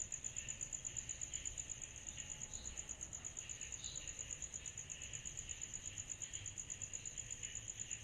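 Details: A summer night of cicadas: a piercing, rapidly beating trill held steady throughout, with softer buzzing swells below and quiet low noise.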